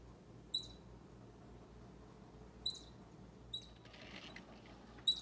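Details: A baby squirrel near Bushy, an orange cat, gives sparse high squeaks, four brief sharp notes spread over five seconds, with a short burst of scratchy rustling just before the last one.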